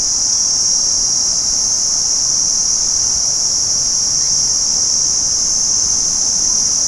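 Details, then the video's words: Steady high-pitched trilling of a daytime cricket chorus, dense and unchanging, the insects' calls merging into one ringing drone. "Cricket insects Day04 - Sound Effect HD"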